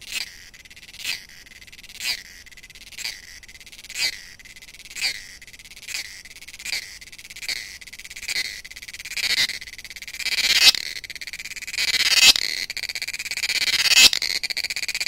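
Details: Cicadas singing in the forests of Goa, India: a high, buzzy pulse repeats roughly once a second. After about ten seconds the pulses swell into longer, louder bursts of shrill rasping.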